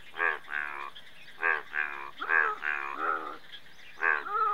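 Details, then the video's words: Indian bullfrog calling in paired bursts: loud, nasal, harmonic croaks, several back to back, with short gaps between groups and a faint high hum underneath. "Indian Bullfrog"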